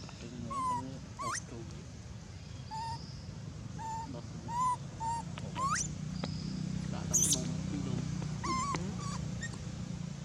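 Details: Crying of an abandoned monkey, very loud: thin whining squeals and upward-sliding yelps at irregular intervals, with a few sharp high squeaks and a persistent low rumble throughout.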